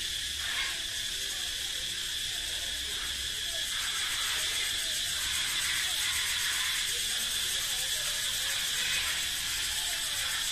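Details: Male cicadas in a forest sing a loud, steady, high-pitched buzz that echoes through the forest without a break.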